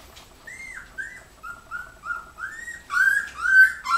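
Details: Three-week-old puppies with their mother Joy, recorded in July 2015; a run of high, whistled whimpers, each a short rising or falling note, closely repeated and growing louder toward the end, in a quiet room.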